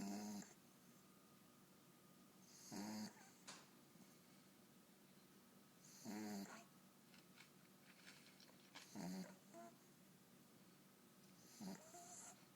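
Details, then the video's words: Boxer puppy asleep indoors, snoring in loud rasping bursts roughly every three seconds, each snore a broad breathy rush with quieter breathing between. "Snoring boxer puppy"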